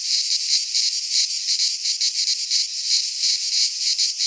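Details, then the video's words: Greek pine-forest cicadas in midsummer produce a piercing, sizzling drone with irregular throbbing swells, a single faint click midway, otherwise only the insect chorus. "Cicadas singing in midsummer"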